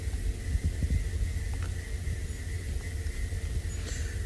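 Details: Steady low rumbling hum with a faint tone and background noise, no animal calls heard.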